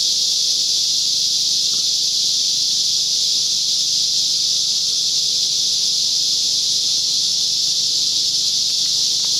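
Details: Loud chorus of larger cicadas at Whitewater Draw by the Chiricahua Mountains, recorded 9-10-2021; a steady, piercing electric-sounding buzz fills the whole stretch without variation in loudness.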